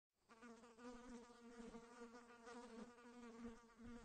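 A fly's buzzing drone carries throughout, a low steady hum rich in overtones. The pitch rises and dips gently as the insect circles close by.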